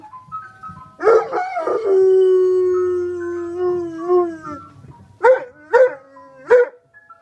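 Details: Dog howling along to an ice cream cart's song: a yelping rise into one long, sustained, slightly wavering howl lasting about three seconds, followed by three short rising yelps.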